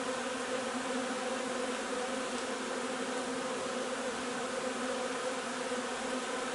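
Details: Honey bee hive during nectar collection from linden blossoms on 3 June: a dense, steady hum of many bees with a low droning tone and bright overtones, unbroken throughout.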